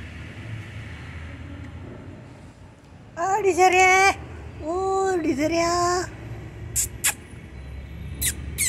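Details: Domestic cat, from a household with cats Desiree and Alba, frightened by Diwali firecrackers: two drawn-out, slightly wavering meows, each about a second long, followed by a few sharp clicking snaps over faint background hum.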